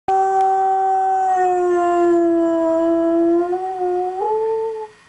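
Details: Dog howling in one long sustained, steady tone lasting about four seconds, dipping slightly midway, then lifting briefly higher before fading out, with rich overtones and no other sounds.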